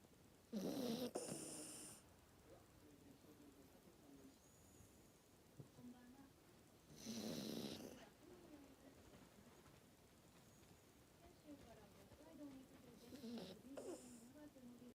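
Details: Worn-out Maltese snoring in deep sleep: harsh rasping snores roughly every six seconds, linked by a thin wavering whistle through the nose and a final softer snort.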